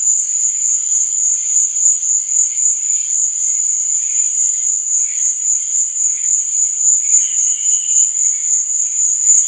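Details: Crickets chirping through the night in a thick, shrill, evenly pulsing trill, joined by brief softer lower-pitched buzzes that come and go; no other sounds.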